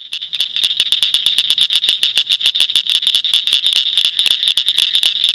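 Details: Northern cricket frog calling in Shelby County, Illinois: a rapid run of sharp, high clicks, about five or six each second, kept up through the whole stretch over a steady high-pitched chorus hum.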